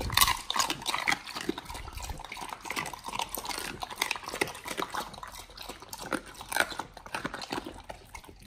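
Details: Dogs devouring raw chicken breast and duck feet up close indoors: continuous wet smacking, licking and crisp crunches, loudest in the opening two seconds, then a steady stream of slurpy chewing.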